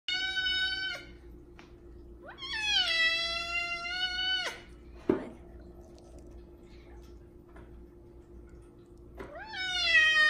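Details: A big male F2 Savannah cat gives loud, drawn-out meows, one swelling and then holding steady for two seconds. He meows like this especially at feeding time, asking for food.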